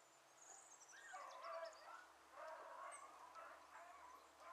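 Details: Hunting beagles, Ribo and Mira among them, chasing a hare that passed through water; two drawn-out bouts of wavering, overlapping baying with a high chirp between them.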